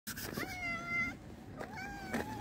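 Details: Homeless black cat or dilute calico stray being fed dry cat food outdoors: two drawn-out, level, tonal meows, the first about a second long, the second shorter, over steady background hum.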